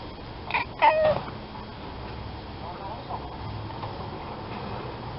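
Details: A cat gives a short, rising then falling meow, preceded by a brief softer mew, over a steady low background hum with little else heard.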